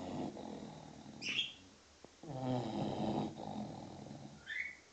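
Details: Snoring from a six-month-old English Bulldog asleep: steady, wheezy rasping breaths, one longer rattling snore in the middle, with two short bird chirps rising above it.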